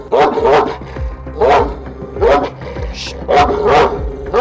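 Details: Aggressive shepherd dog living with its owner in Of, Trabzon, Turkey, barking harshly at a visitor trying to pet it and remove its leash, just before retreating. Loud, rough barks come in quick bursts about every second over tense background music.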